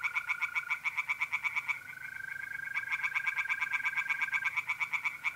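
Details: Night chorus of tree frogs in a pond, North-East Italy, mid-April: fast pulsed croaking bursts, one break before a new series, while mole crickets keep up an unbroken, even trill beneath.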